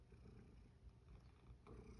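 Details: Sacchan, a rescued male house cat living at Kazeno Kobo with an elderly woman, hungry after coming home and being offered a snack; a soft, low, continuous rumbling purr with faint pulsing throughout, quiet indoor room.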